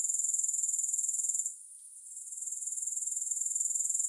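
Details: Grasshoppers heard without music: a fast, high-pitched pulsing trill that fades out for about a second, then gradually swells back to its earlier steady chirring.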